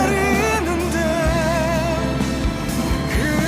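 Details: Pop-style music with a singing voice and steady bass fills the whole stretch, with no animal voice standing out.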